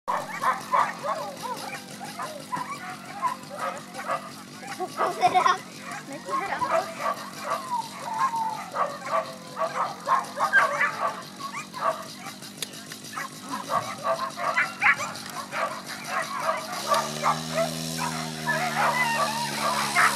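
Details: Female whippets yelping and barking at a race start in Ivánka pri Nitre, Slovakia, 23 August 2014; dense rapid barks and yips overlapping throughout, with a steady low engine-like hum entering near the end.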